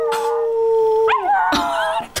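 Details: Dog in a deep mountain area, howling in a wolf-like way it sometimes does, straining and yelping: a long steady tonal howl, then a wavering upward break and higher strained yelping tones.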